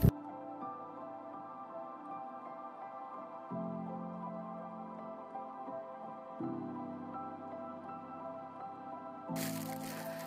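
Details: Soft ambient music with slow shifting tones, a sharp crack at the start and a burst of noise near the end; no animal calls.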